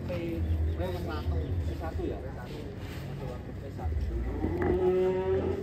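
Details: Giant cow Ken Arok Bimasakti, being readied for a cattle contest in DKI Jakarta, gives a long, steady, slightly rising moo near the end, after stretches of men talking nearby and a low rumble like a vehicle.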